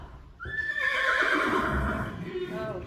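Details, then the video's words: Close, loud whinny from a Friesian horse, a long quavering neigh starting high and sliding gradually lower over two seconds, with strong layered overtones. "Neighing horses. More than 100 times"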